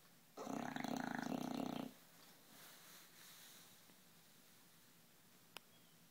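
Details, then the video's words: Sleeping bulldog, 11 months old and weighing 60 pounds, deeply asleep: a single loud rattling snore lasting about one and a half seconds, fast pulsed and buzzy, then quiet breathing and a brief click. "Snoring Bulldog"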